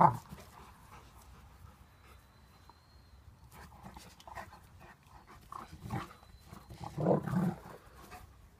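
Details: A German Shepherd and a Golden Retriever play fighting, with panting and scuffling, then a few short, gruff growls and snarls building toward the end.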